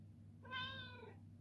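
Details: Morning treat request from Coffee Cat, a Ragdoll cat indoors; one clear harmonic meow lasting under a second, level then gently falling at the end, with a low background hum and no other voices.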